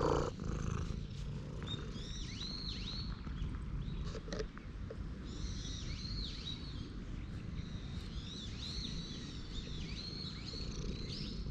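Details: Stray cat at a temple purring after dashing straight toward the person, recorded on a GoPro HERO8; a steady low rumbling purr runs throughout beneath frequent chirping, swooping bird calls and a few sharp clicks.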